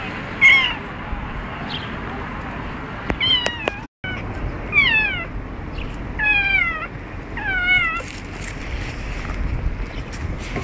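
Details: Julian the cat meows during a walk, giving a series of squeaky, falling meows with bright harmonics, several in quick succession around the middle, over a low outdoor rumble with a brief dropout.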